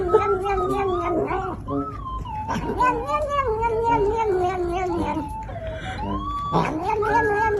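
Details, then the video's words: Domestic cat making long, drawn-out wavering meows that rise and fall in pitch, strung almost continuously with brief breaks and a rising wail near the end, over background music. "Funny sound making cat"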